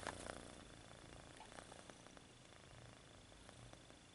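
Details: Purring kitten stretching its paws, opening with a few soft clicks and rustles, then an even low rumbling purr that continues steadily, faint constant high tone in the background.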